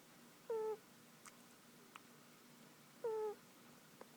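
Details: A domestic cat named Tiger sleeps on a lap and snores. Two brief whistling squeaks with a gently falling pitch come about two and a half seconds apart, with faint clicks between them against a low steady indoor hum.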